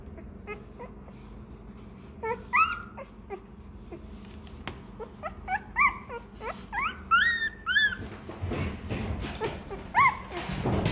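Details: Hungry Rottweiler puppy crying for milk, giving scattered short squeaky whimpers that build into a cluster of sharp rising yelps and whines in the middle, with a soft background rumble.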